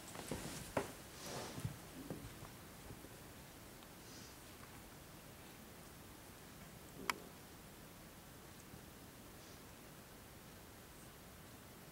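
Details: A quiet indoor room with faint rustles, a few soft clicks and a steady low hiss, but no animal calls.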